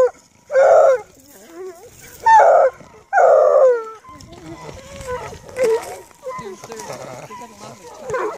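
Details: An 8-month-old female Bluetick Coonhound pup, a deer-tracking pack hound near Kingston, Ontario, gives three loud, drawn-out baying howls when asked to howl, with a person talking softly afterward.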